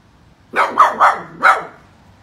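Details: Angry poodle giving powerful barks: four sharp, rough barks packed into about one second, the first three in quick succession and the last after a short gap, over a quiet, faintly humming background.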